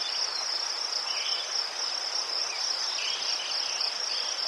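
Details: Ukrainian crickets near chrysanthemums trill without pause, a bright, tightly pulsed high band, with a few soft higher chirps rising briefly beneath the chorus.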